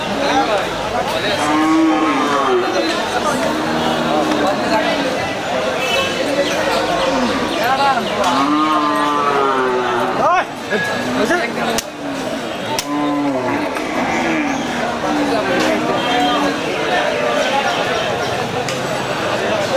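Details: Cattle at a crowded Qurbani cattle market: many repeated arching moos from several animals, some short and some drawn out, rising then falling, amid human chatter and market bustle.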